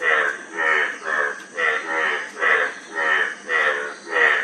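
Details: Throaty, pulsing frog croaks repeated about twice a second, each a grainy rattle of rapid clicks, with a soft steady hiss underneath.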